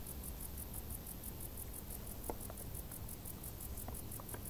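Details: Crickets in tall grass in hot summer chirp in rapid, even, high-pitched pulses over a steady low rumble.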